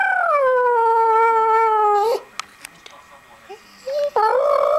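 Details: American Staffordshire Terrier howling in reaction to a Nokia mobile phone sound: a long sustained tone with rich harmonics, gently falling then level for two seconds, a quiet gap with faint clicks, then a rising howl resumes.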